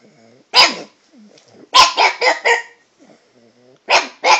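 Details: Pet dog barking at a cat in a chatty mood, trying out varied pitches: one sharp bark, then a quick run of four, then two more near the end, with faint low whimpering sounds between them.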